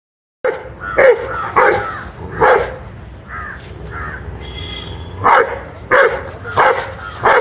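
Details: One-year-old Rottweiler puppy barking angrily while fighting a monitor lizard: loud broadband barks in irregular bursts, a few softer yelps between, a person speaking briefly.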